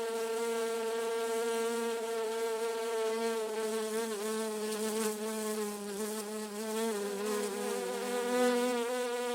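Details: Garden bee moving between flowers, producing a sustained hum with dense harmonics. The pitch wobbles gently as the wingbeat shifts, and the volume swells slightly toward the end.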